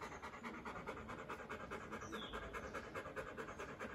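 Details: Doberman dog panting after a run: fast, regular breathy pants repeated about twice per second, steady throughout with no other clear sounds.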